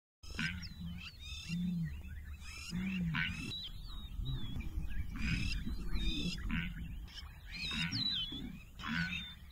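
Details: Blue wildebeest in Southern Africa give deep, nasal grunting calls in short bursts every couple of seconds, with a busy chorus of chirping and whistling birds above.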